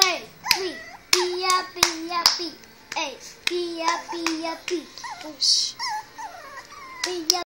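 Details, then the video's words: Three female Chihuahua puppies playing together just after a bath, giving high, wavering whines and squeaky yips in quick repeated bursts, some sliding up then down, with soft tapping and handling noises in a small room. "Chihuahua Puppies Playing"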